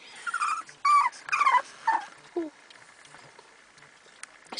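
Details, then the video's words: Pet dogs sitting in a stalled van during their daily drive, waiting for help; a run of high, wavering whimpers that slide downward, then fade into near silence with faint clicks. "Devastated Dogs"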